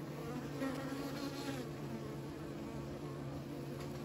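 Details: Short stretch of steady, thick humming from kept bees, many wings droning together at an even level.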